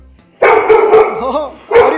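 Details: Male Labrador dog at home, tail wagging with excitement as its owner arrives after parking the car: sharp loud bark, then a whining, wavering yelp, then another abrupt bark.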